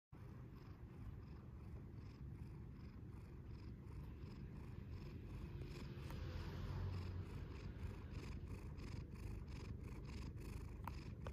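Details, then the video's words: Cat purring as it wakes up, a steady low rumbling throb that carries through the whole stretch, with faint clicks and soft rustles on top. "Awakening of the cat"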